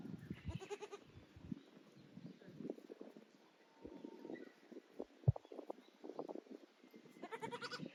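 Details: Goats on Yoshigake Farm, a handmade goat farm in Japan, trying out their new playground on 9 May 2024: two loud, quavering bleats, one at the start and one at the end, separated by thumps and hoof clatter on the play equipment.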